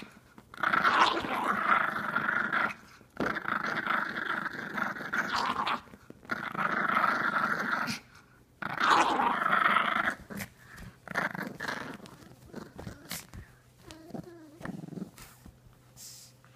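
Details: Pet pug playing with a sock, making weird growling sounds as if fighting for his life; long rough buzzy growls in bursts of two to three seconds, separated by short pauses, fading to softer grumbles near the end.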